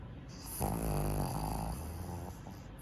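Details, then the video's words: Tenson, a black male pug born in Nagano, snoring while sleeping like a human; one long rough snore with a buzzy, harmonic texture, then a softer trailing breath, indoors. "【犬のいびき】人間みたいに寝ている 愛おしいイビキ♬ 黒パグ テンソン"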